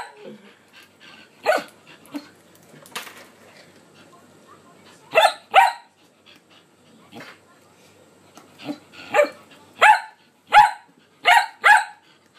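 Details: Shelby, a male pet Shetland Sheepdog who 'talks' and tells his owner off when ignored, lets out scattered barks, then after a pause a quick series of loud, ringing barks in close pairs; a human voice is heard early on.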